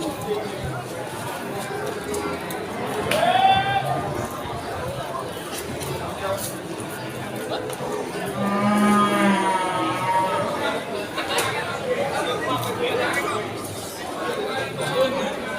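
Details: Cattle at Ambarawa's Pon cattle market in Indonesia, Ramadan 2024: two separate lowing moos, one short around the third second and a longer harmonic one near the ninth, over traders' talk, crowd murmur and music.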